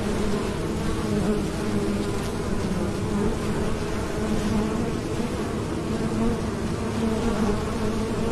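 A bee's steady, droning buzz hums low and continuous, swelling slightly as it moves about.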